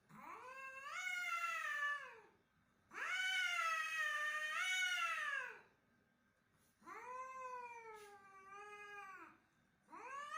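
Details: Aggressive domestic cat fighting, giving long harsh yowls that swell and bend in pitch, four drawn-out wails with brief silent gaps between them.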